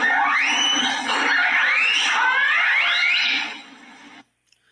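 Orcas exchange overlapping whistles and pulsed calls that sweep up and down, their social sounds.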